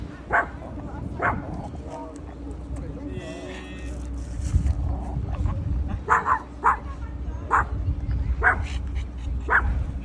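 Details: Dog playground in Boramae Park: a dog barks repeatedly, roughly once a second in irregular bursts, while people chat and a steady low hum fills the background.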